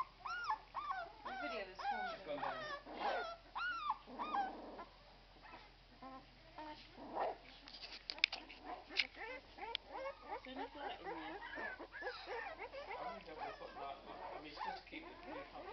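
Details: Litter of twelve-day-old Irish Red and White Setter puppies squeaking and whimpering together: many thin rising-falling squeals overlapping, with a person speaking softly in the background.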